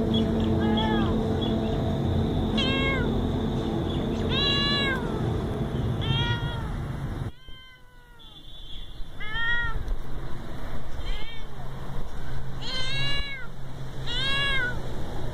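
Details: Little domestic cat meowing repeatedly, about ten arched, harmonic-rich meows spaced roughly a second apart, over a steady low rumble of background noise with a brief quieter gap midway.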